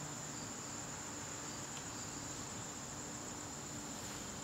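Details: Garden crickets during a September evening, giving an even, shrill, sustained trill at a constant high pitch, with a quiet low hum underneath.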